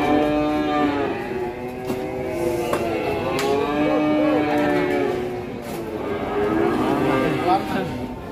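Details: Huge fattened cattle coming down off a truck, lowing in a string of overlapping moos that rise and fall, some ending in a higher bend, with music and a man's shouts around them.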